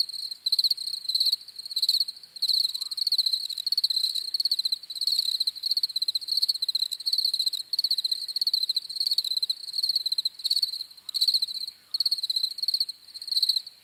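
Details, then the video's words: Chirping crickets give long runs of high, rapidly pulsed trills, broken by short pauses, forming a near-continuous shrill chorus with nothing else audible. "CRICKETS CHIRPING SOUNDS"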